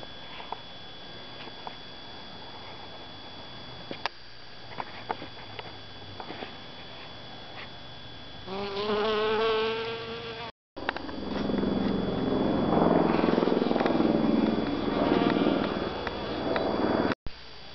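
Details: Honey bee collecting pollen in a calla (Zantedeschia) inflorescence, with many small flies around. Quiet ticks at first, then a steady, droning buzz with clear tonal overtones, followed by a louder, rougher, fluctuating buzz.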